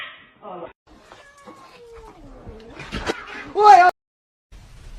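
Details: Drawn-out cat yowl sliding slowly downward, preceded by a few short meows and ending in a loud, sharp cry, with faint voices in the background.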